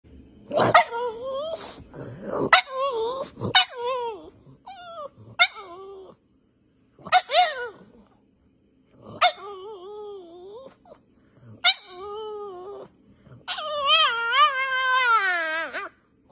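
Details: A pug puppy, apparently barking for no reason, gives short, high yappy barks mixed with whiny, wavering yelps.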